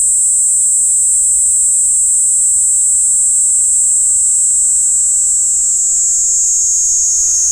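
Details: Steady, very high, hissing buzz of a Kaempfer cicada recorded via parabolic microphone, unbroken throughout and gently dropping in pitch over the last seconds.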